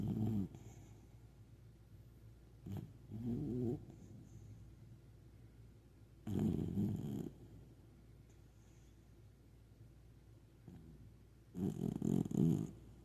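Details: Sleeping puppy snoring comfortably: low rumbling snores in bursts of about a second, spaced several seconds apart, with quiet breathing between and a faint background hum.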